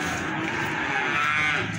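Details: Feeder cattle at the Plaosan cattle market in Magetan, where animals are being sold; a sustained, harmonic-rich lowing moo runs through the whole stretch over a dense din of market crowd noise.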